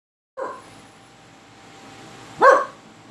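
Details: Pet dog reacting to strange noises, barking: a short sharp bark, a pause of about two seconds with faint background hiss, then a louder, slightly rising bark.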